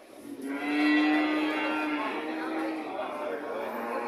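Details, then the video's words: Cow giving one long, drawn-out moo lasting about two and a half seconds. The call is steady and low, with rich harmonics, and fades into a faint murmur of background sound. "Sound of cow"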